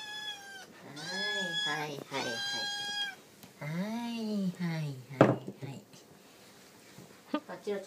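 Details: Tabby kitten calling for food at mealtime indoors alongside two other cats; long, wavering meows, some drawn out with low arching tones, followed by a sharp knock and softer sounds near the end.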